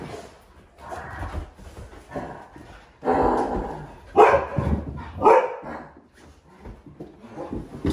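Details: Pet huskies, including a nearly full-grown young female, reacting indoors to a scary movie costume prank: irregular bursts of barking and whining with harsh, broadband yelps, louder outbursts around three to five seconds, quieter whimpering between.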